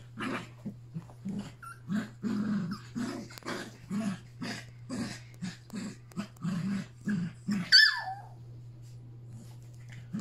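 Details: Three Yorkshire Terrier puppies play with Pepper and their mother on August 29, their last play session together. Short rough growls repeat about twice a second, a sharp squeaky yip breaks in near the end, and a steady low hum runs beneath.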